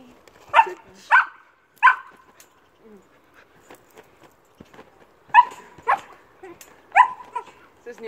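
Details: Old English Sheepdog Amy barks while jumping. Three spaced barks open the clip, faint background noises follow in a lull, then four more sharp, resonant barks come in steady succession.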